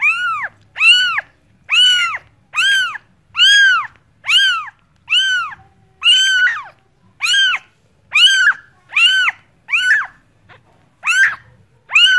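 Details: Rapid run of cat meows, about fourteen loud, harmonic, arch-shaped calls roughly every three quarters of a second, a brief gap near the end before the calling resumes.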